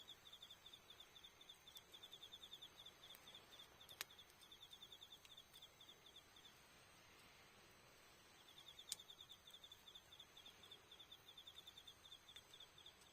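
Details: Insects singing on an autumn night, 20 October, at Iyo-no-kuni campsite with a campfire: long runs of rapid high-pitched chirps, repeated many times a second, broken by brief gaps and occasional sharp pops from the burning wood.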